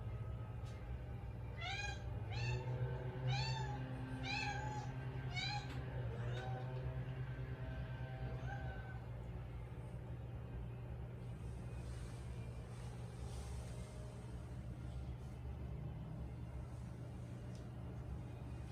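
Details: A five-year-old female Siberian cat, one of three cats in a home in Canada, talking a lot: quick bursts of short chirping meows for about six seconds, then quiet, over a steady low hum.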